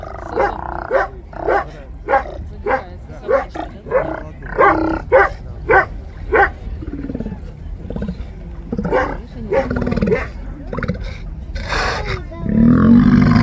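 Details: Steller sea lions in a city seaport on 10 April 2022, giving a run of short, hoarse barks at an uneven pace, nearly two a second, ending in a deeper, drawn-out roar over a background rumble.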